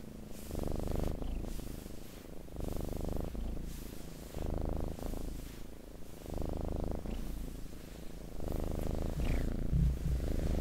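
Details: Pet cat giving a steady, deep purr in long alternating in-and-out breaths of about a second each, the rumble even and continuous, with one faint brief high squeak near the end.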